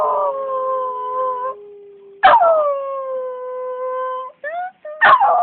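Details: Domestic dog singing in long steady howls that hold one pitch for a second or more, slide down slightly, and are cut by two loud sharp bursts.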